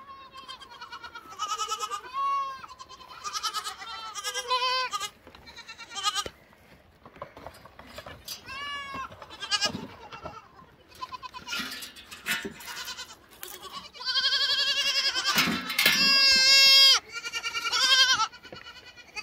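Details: Close, clear lamb bleats, several voices alternating, some short and some long and wavering, growing into loud overlapping bleating toward the end.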